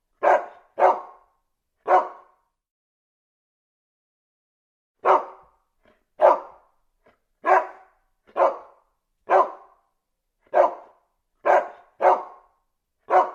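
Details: Dog barks in quick pairs and singles. After an opening burst there is a pause of about three seconds, then a steadier run of about nine sharp barks with no other sounds.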